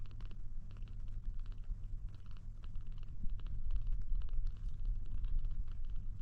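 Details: Low pulsing purr from a kitten trying to drink milk, throbbing at about two beats per second, with faint mouth noises and handling sounds.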